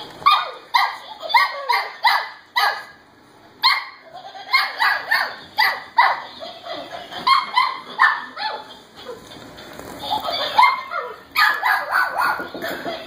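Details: Cavalier King Charles Spaniel puppies, five in all, including a Blenheim and black-and-white pups, wrestling over a Laughing Dog toy indoors; rapid high yips and short barks come in quick bursts with brief pauses, with scuffling between them.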